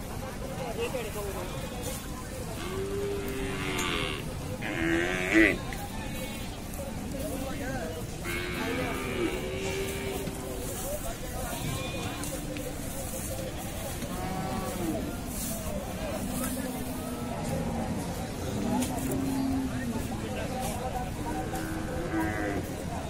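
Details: Large Indian bulls and bullocks lined up at the Hazratpur cattle market (gorur haat) at Paragram, Bangladesh; low, drawn-out moos rise now and then beneath constant crowd chatter, shouting voices and general market bustle.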